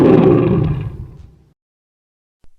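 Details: A lion gives a single powerful roar, loud and deep at onset, then fading steadily over about a second and a half into silence.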